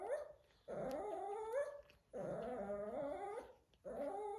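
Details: A Shih Tzu father whines in drawn-out, wavering tones that bend up and down in pitch, heard in the background with his puppies at Thanksgiving.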